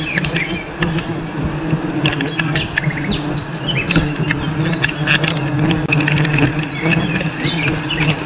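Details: A dense, steady drone of many honey bees from a wild forest colony during a honey harvest, with scattered bird chirps above.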